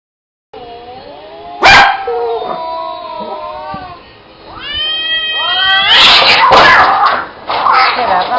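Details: Cats fighting: drawn-out wavering yowls that rise and bend, building into loud harsh screeching bursts near the end, with a sharp clatter early on.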